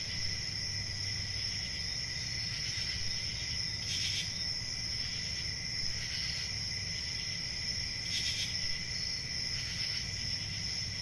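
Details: Continuous shrill cricket chorus at a constant high pitch, with a softer lower tone. Several short breathy bursts punctuate it every few seconds, over a steady low hum.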